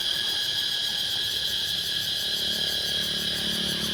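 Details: Cicadas in Laos fill the air with a loud, steady, high-pitched metallic drone that never pauses.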